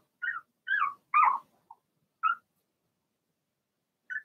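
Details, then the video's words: Litter of six Blenheim Cavalier King Charles Spaniel puppies in an indoor pen: five high, bending yips in quick succession, one louder and fuller, then a pause and a last short yip. "Cavalier Puppies Bark, Howl"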